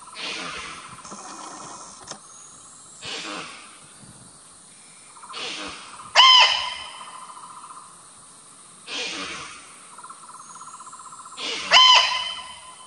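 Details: Indian muntjac, or kijang, in the forest of the Ijen crater, Indonesia: short, harsh, hoarse barks repeated every three seconds or so, some ringing with harmonics, over a steady insect drone.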